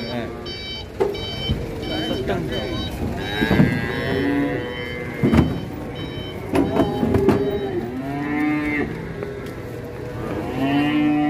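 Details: Giant Pegon cattle mooing repeatedly in short, arched, harmonic calls over eleven seconds, mixed with music, shouting people and a beeping, alarm-like tone.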